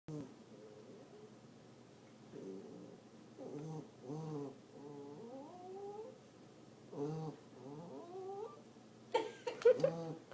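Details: Tucker, a pet dog, scared after his paw was touched, quietly growling and whining at once: low droning tones broken by bursts of wavering, rising whines, with a sharper noisy burst near the end.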